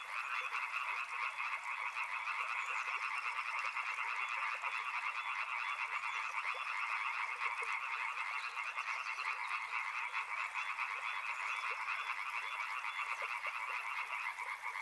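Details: Dense chorus of frogs near a river: many overlapping pulsed calls merge into an unbroken, even, buzzing hum that holds the same level for the whole fifteen seconds.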